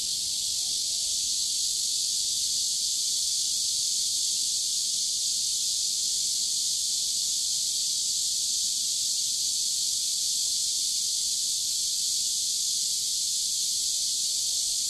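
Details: Cicadas sing beside a river on a hot summer day (23 July 2015) in a steady, shrill, hissing drone that holds unbroken throughout.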